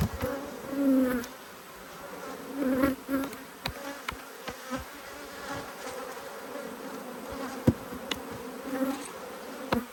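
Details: Agitated honey bees, two hives annoyed by an inspection, hum in a droning buzz that swells and fades in short bursts. Frequent sharp taps and clicks from handling the hive cut through it.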